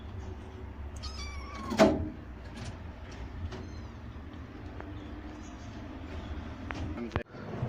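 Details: Grown kittens of rescued stray mother cats in a shelter cat house; a short falling meow near the start, then faint scattered mews and clicks against steady low background hum.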